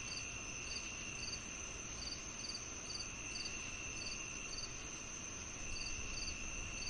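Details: Rhythmic cricket chirping with cicadas, presented as calming tinnitus masking. Quick high pulses repeat about twice a second against a steady piercing drone and dull low rumble.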